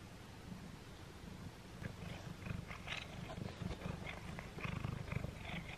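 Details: Simba, a cat, eats a Friskies Pull And Play string treat for the first time, recorded up close: irregular crunchy chewing clicks over a steady low rumbling purr.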